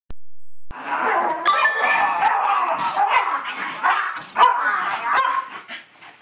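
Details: An 8-year-old Miniature Schnauzer named Webster plays bounce-house games with a man, giving short, sharp barks and higher yips at uneven intervals over steady household noise and thumps.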